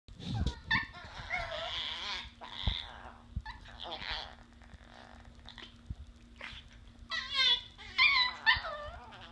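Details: Two Chihuahua puppies at play give high, squeaky yips, whines and growly grumbles in bursts.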